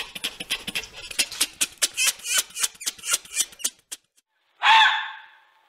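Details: Red fox (Vulpes vulpes) giving a fast, uneven run of sharp, rasping clicks and chatters over about four seconds, then a short pause and a single loud, harsh scream that fades away.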